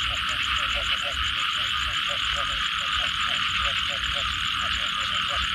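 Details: Frogs after a rain shower: quick, repeated mid-pitched croaking pulses in a steady rhythm, several callers blending, over a persistent shrill insect drone.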